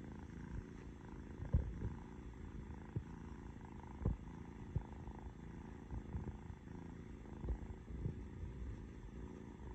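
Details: Noah, a young orange cat resting in loaf pose, gives a continuous low purring rumble broken by a few brief clicks and small thumps.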